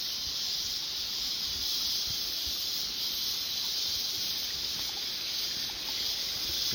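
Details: A steady, high, hissing buzz of winter cicadas high in the trees fills the air without pause or change in pitch, heard among mountain coffee plantations near a stream.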